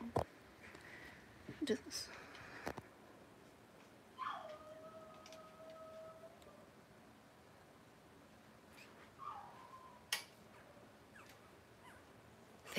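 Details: Newborn Blenheim Cavalier King Charles Spaniel puppies, part of a litter of seven born September 15, 2022, with their mother Robin; a long flat squeal near four seconds, a shorter one later, amid soft rustling and clicks.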